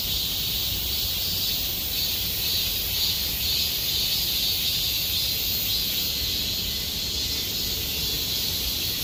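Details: Summer cicada chorus in Gomsol Nuri Forest, Sihwa district: an unbroken shrill, hissing drone with slight rhythmic swelling, high and even in loudness, with soft low-frequency ambient rumble beneath.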